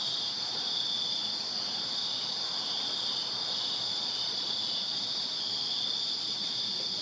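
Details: On a summer night in a Virginia backyard, crickets keep up a constant high, ringing chirp chorus, layered bands of trilling that never pause, with quiet night ambience beneath.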